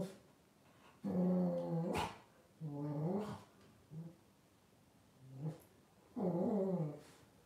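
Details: Blenheim Cavalier King Charles Spaniel puppies, twelve days old, from a litter of five born around New Year 2023, give low, harmonic whining grunts in about five bursts over seven seconds, each rising and falling, against a quiet background hum.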